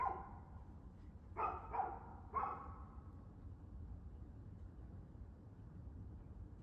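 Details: A dog on 2/6/2024 at 6:02pm lets out three quick barks close together near the start, then falls silent while a low, constant hum continues.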